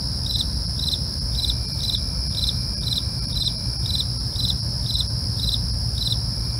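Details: At night, crickets give evenly spaced chirps about every half second layered on a continuous high buzzing trill, low rumble underneath.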